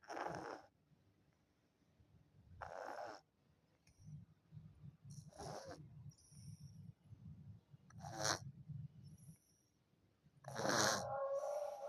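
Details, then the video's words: Sleeping orange cat snoring: harsh, breathy snorts about every two to three seconds, separated by a low, buzzing rumble of breath. "Kucing oren tidurnya Ngorok"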